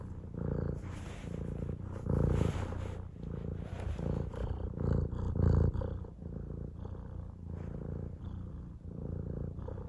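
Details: Pet cat purring in a continuous deep drone, throbbing roughly three and a half times per second, swelling slightly louder around the third and fifth seconds as each breath cycles.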